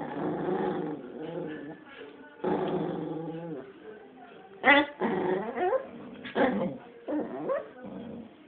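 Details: Shih Tzu, a pet dog, keeping a toy to itself and refusing to share it; bursts of low harmonic growling and whiny grumbles, with a sharp higher yip near the middle and short moans toward the end.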